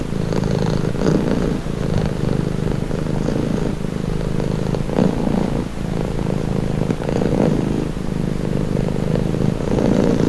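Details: Relaxed domestic cat producing a soothing purr, a low buzzing rumble that swells and eases roughly every second or two, uninterrupted.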